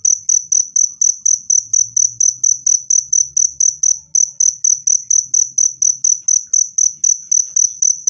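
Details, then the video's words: Cricket chirping, presented as a natural rat repellent and a calming sound for stressed birds: clear, loud, high-pitched pulsed chirps repeated steadily about twice per second, with no other sounds. "SUARA JANGKRIK PENGUSIR TIKUS jernih dan keras"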